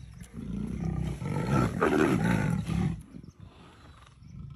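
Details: In Kanha National Park, leopards playing produce a sustained, rasping low growl that rises in intensity through the middle, then drops to softer rumbles as it trails off.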